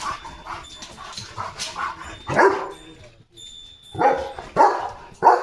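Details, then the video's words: Leo, a German Shepherd dog, on alert duty right after a bath; irregular barks come in a burst near the end, with a person's voice and background noise in between. "आंघोळी नंतर धमाल + लगेच ड्यूटी! Leo The German Shepherd ची मजा बघा"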